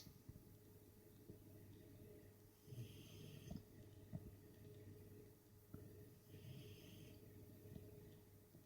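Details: Pet dog named Sacsha snoring while asleep indoors: two soft, raspy, breathy snores spaced about three and a half seconds apart, with quiet snuffles and a low steady room hum between them.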